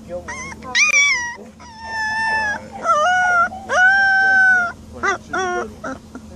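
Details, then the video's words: Puppy crying with high, thin, sustained whines and short yelps, the held notes steady in pitch, over a low constant hum in the background. "Crying or Howling??? - CUTE puppies"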